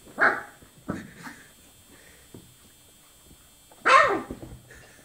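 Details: Twenty-four-day-old chocolate Labrador puppies: two brief squeaky yelps at the start, a pause, then one louder arching whine that rises and falls, over a low constant hum.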